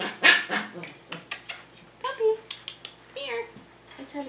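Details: Five-week-old Tamaskan Dog puppies playing the Puppy Culture box game indoors: short high whines and a brief yip rise above scattered clicks and knocks of the box, with a person's voice praising the puppies.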